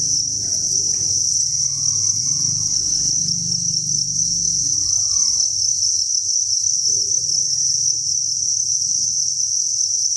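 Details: Crickets at a breeding farm, thousands chirping at once, make a steady high-pitched continuous trill over low rumbling and handling noises.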